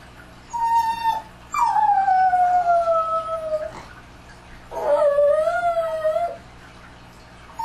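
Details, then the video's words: Dogs at night in an ambient recording, howling in long drawn-out tones that slide slowly downward, with a rising wavering howl after a pause; quiet gaps between howls. "Une nuit avec les chiens [Bruit d'Ambiance]"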